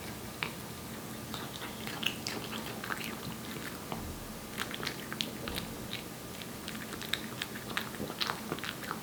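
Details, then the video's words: Aeppi, a one-year-old Korean Shorthair cat born July 2018, eating wet food: quick, crisp smacking and chewing clicks come in a dense, steady stream over a faint low hum. "촵촵 습식사료 먹는 소리, 고양이 리얼사운드"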